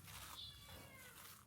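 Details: A young stray orange kitten gives a thin, high meow that slides up and down, faint against a steady hiss, calling from hiding on a day of repeated heavy rainstorms.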